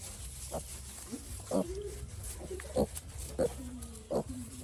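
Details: Piglet sick since it was small, making a run of clear short grunts and squeaks, about one every half second to second, some with a brief level tail, over a low background hum.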